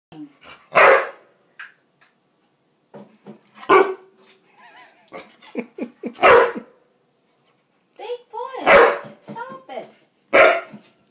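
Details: Japanese Akita barking loudly at home, four strong barks spaced a few seconds apart with softer whines and grumbles between them; a man speaks to the dog in between.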